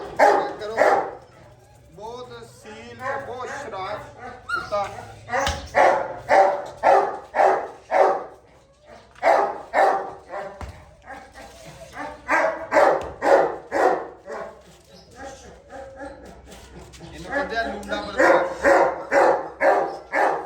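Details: Gultair bully dogs barking in a noisy kennel holding a male and a pregnant female; volleys of sharp barks roughly two per second, broken by pauses, with a man speaking throughout.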